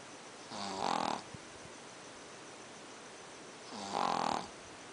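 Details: A Pekingese dog snores at night in slow, steady breaths, each low grumble swelling into a harsh, buzzy nasal rattle under a second long, about every three seconds; owner thinks it's due to his flat face.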